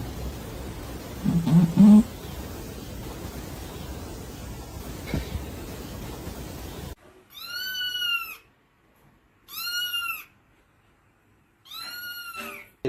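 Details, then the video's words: Domestic cat in a funny compilation: a rumbling noisy first half with a brief low sound, then three loud, arched, drawn-out meows about two seconds apart, each with rich harmonics. "Very Funny Cat Sounds"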